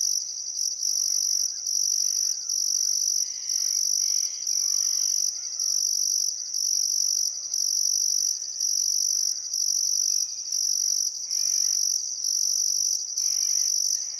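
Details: Crickets chirping at sunset on the Barcoo River, Welford National Park, Outback Queensland, during a still summer afternoon: high rhythmic trilled pulses near once per second, layered over soft scattered birdcalls.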